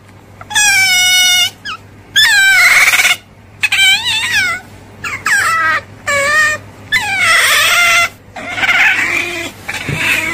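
An otter calls with high, reedy squeals and chirps, each lasting under a second, some rising and then dropping in pitch. The bursts come in close succession over a faint, steady low hum.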